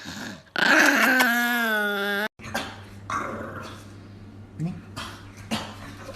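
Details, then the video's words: A Chihuahua in an angry mood gives one sustained, steady, tonal growl-whine lasting over a second, then falls quiet except for soft rustling and faint indoor background noise. "Angry Dog Compilation"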